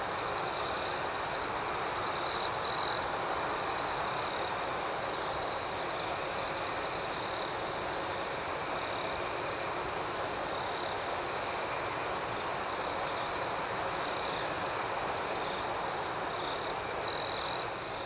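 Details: Crickets sing through the night in an unbroken shrill, even trill, with short louder buzzing phrases near two seconds and again at about seventeen seconds over a faint background hiss.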